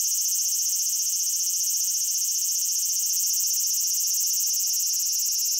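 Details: Japanese cicada song, a dense shrill whirring drone that runs continuously at an even loudness, nothing else audible.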